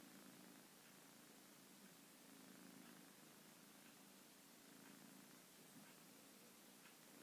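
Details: Kitten purring while asleep indoors: a soft, steady low rumble with faint pulses repeating about every two seconds under a constant hiss of background noise.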